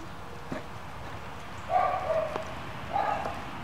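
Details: German Shepherd puppies of the W litter at play time give two short whiny, strained yips, one near the middle and one near the end, over a low background rumble with a few soft knocks.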